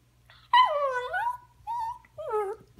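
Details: A scolded puppy answers its owner with three whining yelps. The first is long and falls then rises, the second short and flat, the third a quick dip. A woman says "no" around them indoors.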